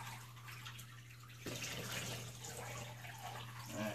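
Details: A steady hum, then water pouring from a tap into a tub during a bath, with no animal voice heard.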